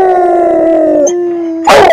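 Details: Dog howling with tongue visible, a long steady, slightly falling tone held for over a second, briefly dipping and resuming, then cut off by a loud harsh burst near the end.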